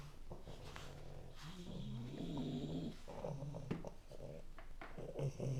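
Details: Two dogs snore together indoors, one a puppy under three months old; soft, low, rasping breaths rise and fall irregularly over a quiet room hum.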